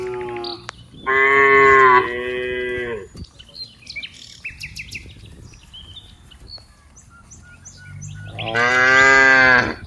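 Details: From dozens of cows at play among green rice fields, a long, full moo lasting nearly two seconds, then another rising moo near the end, while birds chirp and twitter through the quieter middle.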